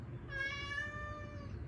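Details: A neighbours' cat that cannot bear hunger gives a long, even, tonal meow of about a second with rich harmonics, with a low steady rumble beneath.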